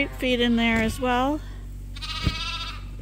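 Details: Bottle-fed lambs on Ewetopia Farms, still kept with their mothers: two quavering bleats in the first second and a half, then a brief higher call and a tap over low background hum.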